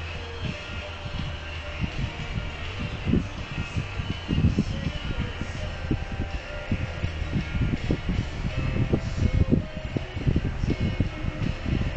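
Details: Plucked guitar music with some speech and a low rumble, with no animal voice.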